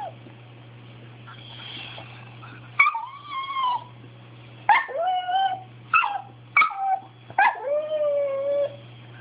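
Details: Bailey the dog, demanding something, repeats sharp yelps roughly every second, each one trailing off into a longer falling whine, growing from small yips to longer cries; faint low hum.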